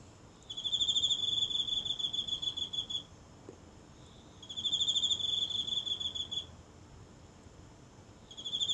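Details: A single insect calling each night from the grass of a small home garden, recorded up close with a phone in the still night: high, pulsing trills lasting about two to three seconds, separated by short silences, with a third trill beginning at the end.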